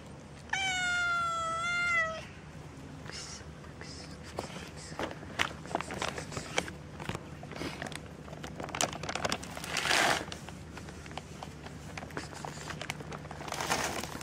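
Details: Cat on the street, one of two cats, a tortoiseshell and a tricolour, gives a single drawn-out harmonic meow of about one and a half seconds, wavering then dropping at the end, followed by scattered clicks, rustling and street noise.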